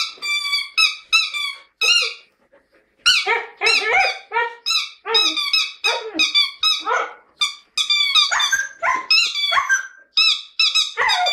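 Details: Siberian Husky indoors in a lyrical mood, singing: rapid bursts of high, harmonic yelping notes, many sliding down in pitch, delivered in a near-continuous chatter with one short pause.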